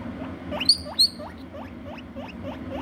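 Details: Pet guinea pig being looked after at home: a steady run of short rising squeaks about three per second, with two brief shrill high squeals early on, over a low background hum.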